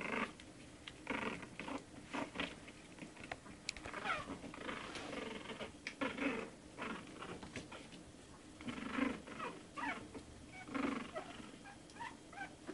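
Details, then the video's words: One-month-old Shih Tzu puppies indoors, giving short, rough grunting and squeaky bursts in irregular clusters across the clip, some with a low growly tone, amid soft rustling and pattering movement. "Shih Tzu puppies"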